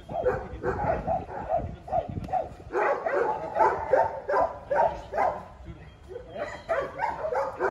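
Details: Belgian Malinois in advanced obedience and protection training for PSA, giving rapid, repeated high whines and yelps about two or three per second, excited and insistent, over low rumbling background noise.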